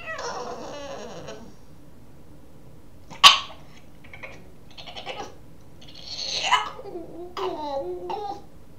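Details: Boston terrier puppy wanting to play gives strange gremlin-like vocalizations: a long whiny moan, a sharp click, scattered short grunting yips, then a rising and falling squealing whine near the end.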